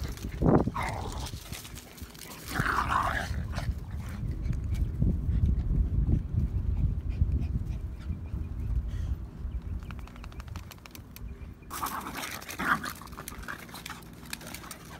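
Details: Little dog turning aggressive, giving a low, rumbling growl that runs almost continuously for several seconds, broken by a few sharper, higher snarls or yelps near the start and again near the end.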